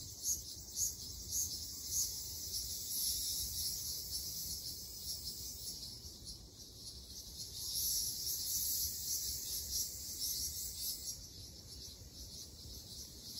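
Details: Ryukyu large brown cicadas in a summer forest in Okinawa: a dense, sizzling high-pitched buzz that swells and pulses in uneven waves throughout, with a low rumble of background noise.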